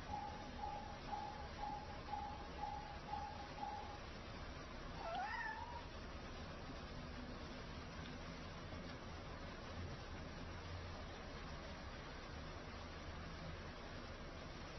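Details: Cats begging for food; a single rising and falling meow near the middle, after a faint repeated tone in the first four seconds, over steady background hum.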